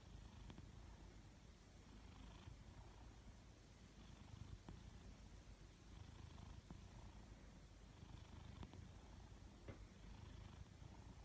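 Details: A Maine Coon cat snores softly, a low, steady rumbling breath with a few faint clicks.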